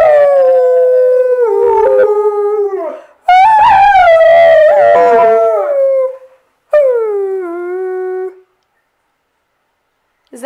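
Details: Singing Alaskan Malamute female: three howled phrases separated by pauses, each a clear tone gliding downward, the middle one louder and rougher, the last a short falling wail.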